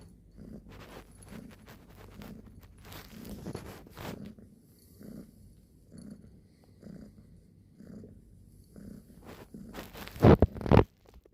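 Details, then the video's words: Cat purring: a low, even throb pulsing about twice per second, with brief scratchy rustles partway through and a loud burst of handling noise near the end. "Kucing Mendengkur artinya apa?"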